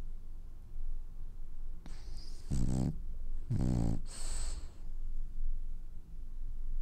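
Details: Sleeping French bulldog that is dreaming gives two low, gravelly snores about a second apart, each with a whistling, airy release, over a soft background hum.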